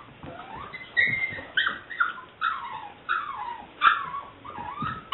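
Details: A 7-week-old female liver/white tricolour English Springer Spaniel puppy gives a string of high, whiny whimpers and yips, each sliding downward. Recorded 18 May 2009.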